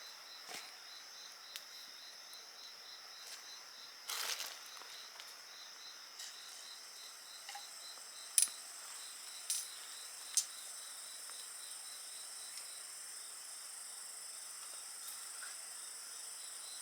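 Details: Insects singing beside a bonfire, a faint pulsed chirping running steadily under a high continuous hiss, broken by sharp crackles and pops from the fire, some loud.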